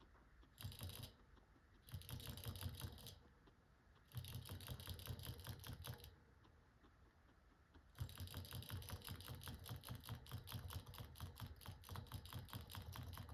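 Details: A guinea pig crunches hard pellets on December 17, 2024, making rapid dry clicks and grinding taps in bursts of one to two seconds, with brief quiet gaps before a longer, steady run of crunching.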